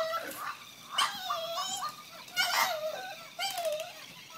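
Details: A French Bulldog gives high, wavering whines in three bursts, each rising then sliding down, on meeting a new doggie-bag toy, perhaps scared or perhaps excited.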